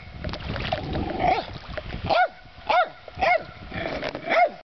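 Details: A dog barks at trout, giving five sharp, ringing barks that rise and fall in pitch over about four seconds, with the sound of water in the background.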